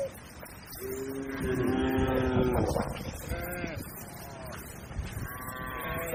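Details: A herd of tame cattle grazing calmly on a broad green pasture calls with a long steady low moo, then several shorter bending moos answer one another, over a soft rumbling background.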